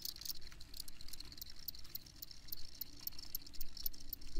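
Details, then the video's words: High-pitched cricket chirps come as a dense run of short, rattling pulses with no pause, set against low background rumble. "Crickets Chirping"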